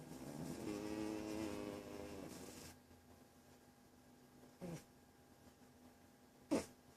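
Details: Walter the domestic cat snores in deep sleep: a drawn-out, low, droning inhalation lasting over two seconds fades out, then two short sharp knocks or clicks punctuate the quiet that follows.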